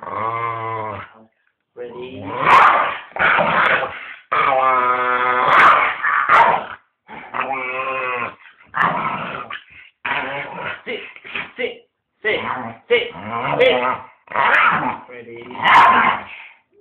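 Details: A pet dog playfully trying to bite its owner, growling and whimpering in harmonic, broken bursts with short pauses, mixed with a person's voice throughout.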